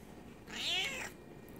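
A Bengal cat gives one clear, rising-then-falling meow lasting about half a second.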